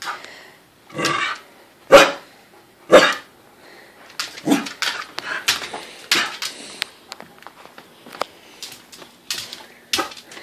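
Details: Corgis excited at dinner time inside a small room, a scene repeated three times daily; three loud barks in the first three seconds, then a busy run of softer yips, clicks and movement noise.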